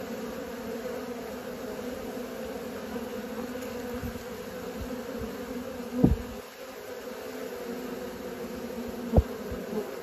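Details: Honey bees learning to fly: a steady, dense hum pitched low with a second, higher band above it, holding evenly throughout, broken by two sharp knocks near the middle and toward the end.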